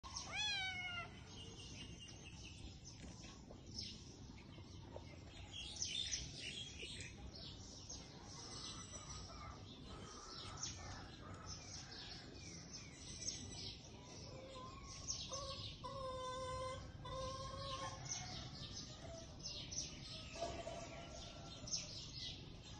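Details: Kittens nursing from their mother cat give high, arched meows, a descending cry at the very start and a cluster of harmonic mews midway, with soft background rustling and faint high chirps throughout.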